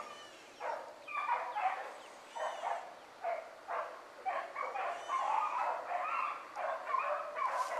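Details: Three hound puppies running a rabbit in the morning, heard from a distance; spaced, somewhat faint bays and yelps in bursts, several dogs overlapping.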